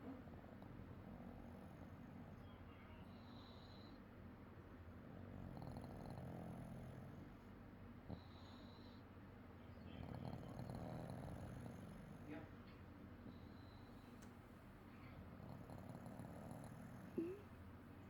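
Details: An orange house cat sleeping, snoring softly in low, breathy rasps that swell and fade roughly every five seconds, with a faint click near the end and quiet room hum throughout.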